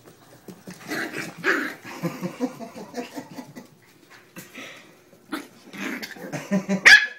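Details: Terrier puppies from Toomevara Terriers playing indoors with a child named Maeve; scattered short yappy barks and growly scuffles over seven seconds, mixed with people talking and laughing nearby, ending in a sharp high yelp.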